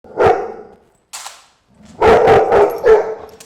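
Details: Loud dog vocalizing during a chiropractic adjustment: a harsh, noisy bark-yelp, a brief pause, then a rapid cluster of three or four loud, rough yelps close together.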